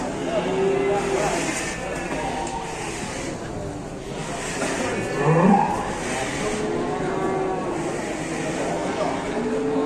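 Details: Angry, rampaging cow in a cattle barn in Indonesia, bellowing a strained, wavering moo that rises around the middle of the stretch, with loud background noise and a voice at times.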